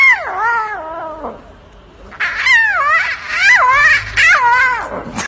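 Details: A baby lion (Panthera leo) cub gives high, cat-like mews that slide downward, several in quick succession.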